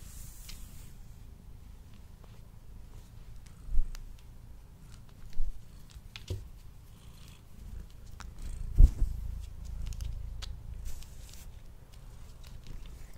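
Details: A domestic cat eats indoors, recorded on a Blue Yeti microphone. A soft low purr runs underneath, with a few louder thumps and crisp ticks from eating.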